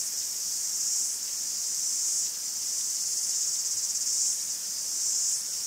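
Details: Chorus of cicadas in a Greek forest, a continuous shrill hiss-like buzz with gentle surges roughly every second, unbroken throughout and without other voices or noises.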